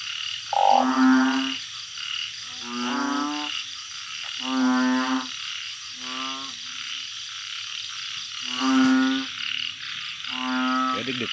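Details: Night chorus of captive-bred balloon frogs in a home garden: separate low, nasal, buzzy moans about a second long, repeated with gaps of roughly half a second to a second, some calls overlapping.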